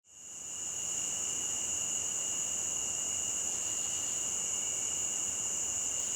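Crickets keep up a steady, high-pitched trill that hardly varies, over a soft wash of running water.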